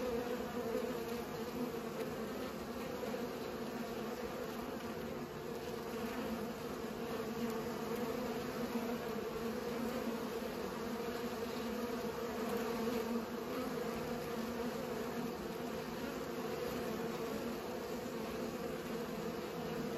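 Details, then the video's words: Bees buzzing while pollinating, a steady low hum with a constant drone and overlapping wingbeat tones throughout, no other clear sounds. "Bees pollinate"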